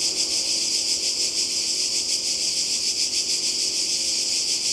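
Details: A summer 2020 cicada chorus by the sea in Croatia: unbroken shrill buzzing that swells slightly in a regular throb, with faint low tonal sounds far behind it.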